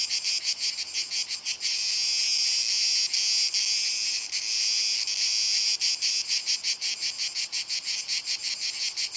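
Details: Male Cicada orni song in a possible duel between males: a loud high-pitched rasping buzz broken into rapid pulses, about three per second, with a steadier stretch in the middle.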